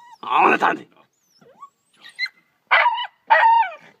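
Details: Small pet dog barking at a fish it is tearing apart: a rough, noisy bark burst, a pause, then two short, tonal, yelping barks near the end, indoors with little background noise.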